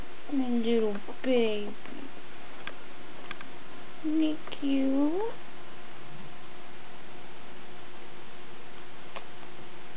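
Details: Brown male puppy only a few days old, the biggest of eleven born to the dog Molly, giving a few high squeaky whines that bend down in pitch, in two short bursts, then quiet room noise.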